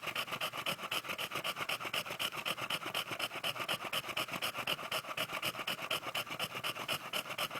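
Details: Bentley, an English Bulldog, enjoying a belly rub after playing: heavy, rasping panting, steady and fast at about four breaths a second, each breath a hoarse wheezy rush, without pause.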